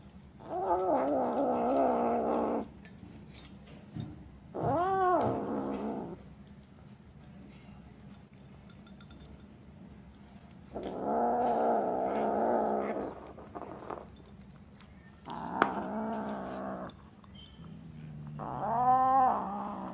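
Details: Kitten protecting its food while eating; five drawn-out, harsh, wailing growls, each lasting one to two and a half seconds, separated by quiet pauses.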